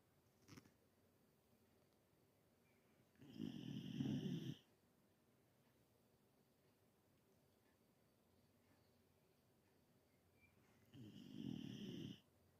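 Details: Galgo Español named Carlotta, an older female greyhound whose snoring has increased with age, sleeping indoors; two long rasping snores about eight seconds apart, each lasting over a second, in an otherwise quiet room.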